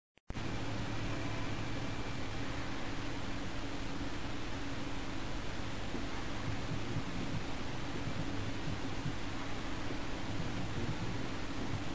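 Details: Loud continuous broadband hiss like a fan or air conditioner, with a steady low hum throughout and no animal voice.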